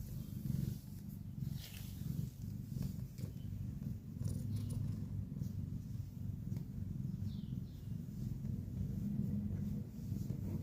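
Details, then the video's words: Low, steady rumbling snore from a cat, with a continuous deep texture and gentle rises and falls in loudness. Occasional faint higher rustles and hiss sit in the background. "snoring sound"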